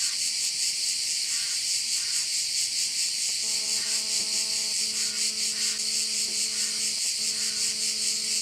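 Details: Crickets at a Korčula bay in Croatia fill the air with a bright, sizzling buzz beating roughly twice a second, while a low droning hum joins partway through and continues with short breaks to the end.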